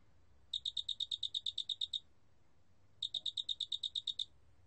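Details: Cricket, the species called 큰알락귀뚜라미 in Korean: two clear bursts of about twelve quick, evenly spaced, ringing high chirp pulses, each lasting about one and a half seconds with a silent pause between, over faint low background hum.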